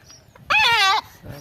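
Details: Domestic goat around the time of castration, giving one loud wavering bleat of about half a second, strongly harmonic with a trembling quality, followed by a faint softer bleat; quiet background.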